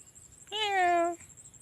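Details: Kitten giving a single clear harmonic meow lasting about half a second, starting with a brief rise and then holding steady before ending abruptly, over a quiet background with faint rustling.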